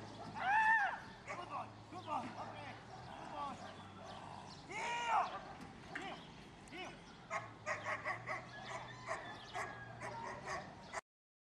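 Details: A Belgian Malinois gives sharp, arched barks with a high yelping edge amid human voices during K9 attack training with jumps.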